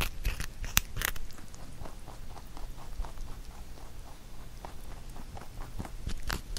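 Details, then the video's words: Huchu, a pet rabbit, eats a carrot songpyeon made for Chuseok. Indoors, close up: crisp crunching bites and irregular chewing clicks, with a few louder sharp snaps near the start. "Rabbit eating sound with Carrot SongPyeon"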